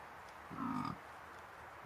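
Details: A dominant fallow deer (Dama dama) buck with his harem in the New Forest during the rutting season gives one deep, guttural, belching groan, his rutting call.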